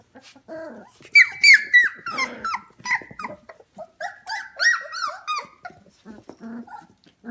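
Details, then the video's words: F1 Goldendoodle puppies, 25 days old, indoors at a house at 11pm, giving a busy chorus of high whines and squeaky yelps, overlapping tonal cries that rise and fall, with short growly bits in between. "F1 Goldendoodle Puppies 25 Days Old"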